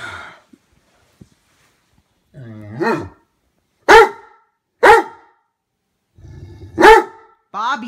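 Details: Jealous Great Dane barking at his brother dog while being scolded: a person speaks, then four sharp, deep barks spaced roughly one second apart, with more speech at the end.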